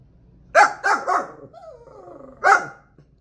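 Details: A dog that is active in chasing animals is told a dog or cat is outside and barks as if he saw it: three quick, harsh barks, a thin falling whine, a pause, then one final loud bark.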